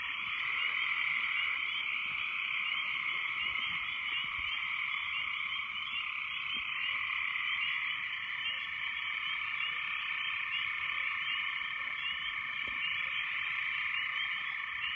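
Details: After heavy rains, a loud frog chorus: countless overlapping croaking calls blend into a dense, even drone in two high bands, with faint clicking above, unchanged for the whole stretch.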